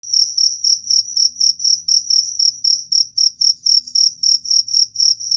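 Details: Cricket sound offered for repelling rats: shrill, high-pitched chirps repeated steadily about four times a second, each with a fainter, even higher overtone, over a very faint low rumble.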